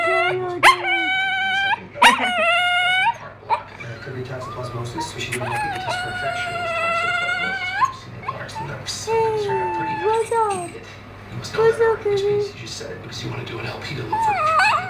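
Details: A female dog vocalizing as though trying to talk, said to think she is human: sustained wavering howls, sharp rising yips, and lower moaning glides that dip and rise, in a series of phrases.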